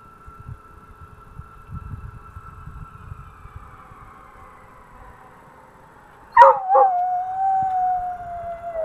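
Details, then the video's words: Coonhound Andy-Tucker howling at passing fire trucks: faint wailing sirens drift along for about six seconds, then a sudden loud, long howl begins, briefly breaks, and is held to the end, sliding gently downward over the siren tone. "Coonhound Andy-Tucker howling at the fire trucks"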